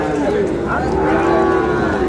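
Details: At a cattle market where Dhaka farmers buy Sahiwal bull calves, a steady, sustained low moo holds a level pitch for about two seconds, while people haggle nearby.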